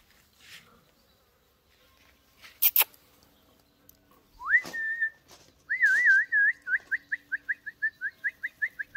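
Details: Jack Russell Terrier puppies whining: a rising squeal, then a longer wavering whine that breaks into a quick run of short, even yelps, about two per second; clicks and handling noises before.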